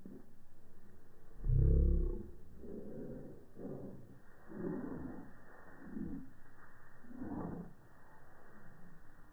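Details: A Welsh Corgi gives a loud low bark, then a run of deep, gruff woofs about once a second.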